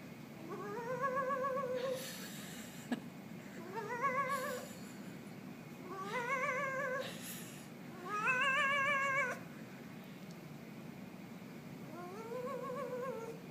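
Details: Pet cat called a Halloween kitty, meowing indoors: five long, arched, wavering meows, each rising then falling, spaced about two seconds apart, with faint rustling between calls.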